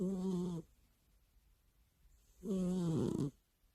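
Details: Sleeping pet cat snoring loudly every night beside its owner's ear; two harsh, buzzy snores about two seconds apart, each lasting under a second with a rasping, rattling texture, in a quiet room.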